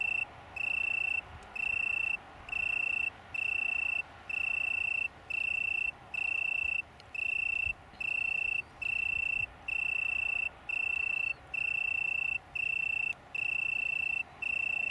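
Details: Singing Italian tree cricket recorded 21 September 2019 in a small colony on downs near Brighton, UK: a long series of even, high, purring trill bursts, each roughly half a second to a second, separated by short regular breaks.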